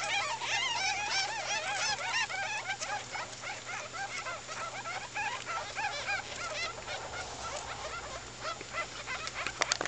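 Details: Two-week-old ferret babies in a chorus of quick, bent, chirping squeaks, many voices overlapping at a fast pace and thinning slightly toward the end, with a low constant hum beneath.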